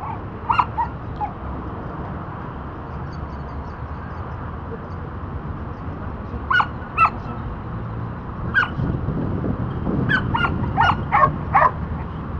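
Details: Dante, a disc-training Border Collie working on the back vault, gives scattered barks: a short cluster at the start, then quiet with low rumbling background, then isolated barks and a final quick flurry.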